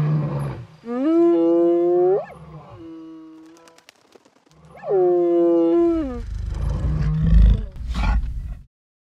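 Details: Lions of a pride reuniting after being separated, Rietspruit Game Reserve in the Lowveld of South Africa; two drawn-out, deep harmonic moaning calls, each about a second long, rising slightly then dropping at the end, with brief rustling between.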